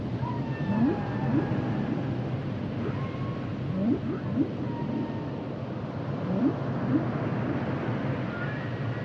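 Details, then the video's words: Humpback whale song: short rising upswept whoops in quick pairs and triplets near one, four and seven seconds, with thin higher drawn-out moans gliding between them, all over a steady low underwater rumble. "Sounds and Songs Of The Humpback Whales"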